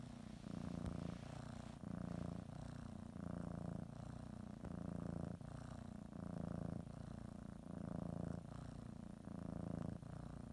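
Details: Kitty kneading and nibbling a blanket before a morning nap, purring loudly up close; rough low rumble rising and falling in breath-length phases about once per second, otherwise quiet indoors.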